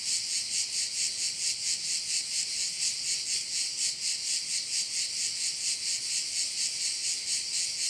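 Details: Korčula bay crickets keep up a continuous, bright rasping drone high in pitch, swelling and fading in a steady rhythm of about two pulses per second.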